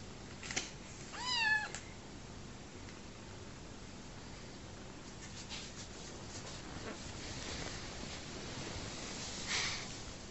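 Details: Bottle-fed orphan kitten, rescued from homelessness after his mother died soon after giving birth; a rapid run of four or five stepped, wavering mews in quick succession, then steady hiss with light rustling.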